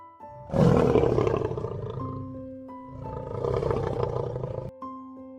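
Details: Lion roar that bursts in loudly, then rolls on as a deep, gravelly rumble in two swells, accompanied throughout by soft background music.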